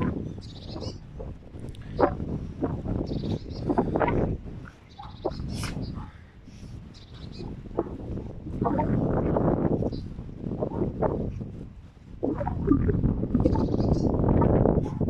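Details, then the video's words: Three female Golden Retrievers, Montana, Roxy and Luxy, playing together in a garden: loud, rough, rumbling growls and huffing noises rise and fall in long overlapping bursts, with brief pauses between bouts. "Unsere Golden Retriever Hündinnen beim Spielen"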